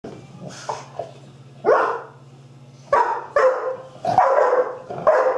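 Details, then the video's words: Young pup Pistol chasing big dog Ryder around a table in play; short bursts of barking and yapping come in clusters, separated by gaps with a steady low hum underneath. "Puppy love, little pup chasing big dog."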